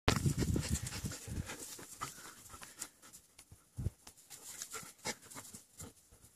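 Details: Young German Shepherds playing; rapid, uneven huffing breaths and scuffling bursts about three per second, loudest at the start, then fading to softer panting puffs.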